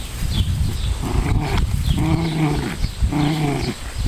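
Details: Playful fight between two Pomeranians on a farm in central Wisconsin; a few wavering growl-snarls, each lasting under a second, rise over steady low rumbling and thumping.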